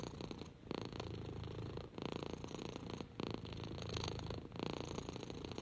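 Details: Henry the orange lap cat, a six-month-old rescued kitten, purrs while stroked; a deep, even vibrating purr broken into phrases of roughly one to one and a half seconds.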